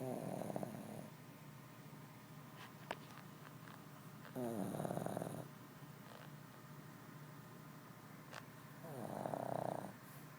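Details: A sleeping Shih Tzu snores loudly: three rasping, buzzy snore breaths, each lasting about a second and spaced roughly four to five seconds apart, with a few faint clicks between them in a quiet room.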